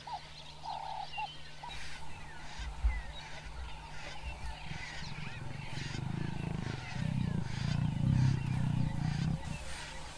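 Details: Lions at a wildebeest carcass, the male Sjambok mating the feeding lioness Manyari after chasing off two young males; deep rumbling growls swell in the second half, over a steady low hum, chattering birds and frog-like calls.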